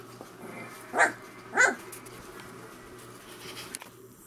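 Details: Three-week-old Saint Bernard puppies from Gypsy's litter at Crooked River Saints give two short, harmonic yelping cries about half a second apart, each rising then falling, over a steady low hum and quiet background.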